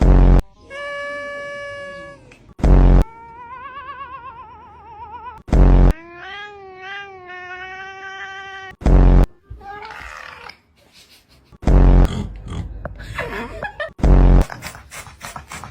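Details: Domestic cats voicing steady drawn-out meows, a warbling trembling cry and a rising then falling yowl, followed by rougher scratchy calls; sharp loud bursts separate the sounds.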